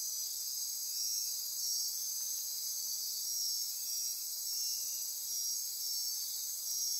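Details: Dense nocturnal insect chorus in Costa Rica rainforest near Corcovado National Park, Osa Peninsula, at midnight: continuous high-pitched trilling and buzzing bands layered steadily, with faint intermittent pulsing tones beneath and no other clear sounds.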